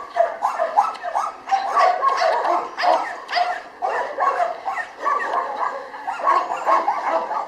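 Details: Jania, a female Labrador at Rzeszów's Kundelek animal shelter in Poland, gives excited, pitch-bending whimpers and short yips in clustered bursts, with brief gaps between groups and a human voice coaxing her.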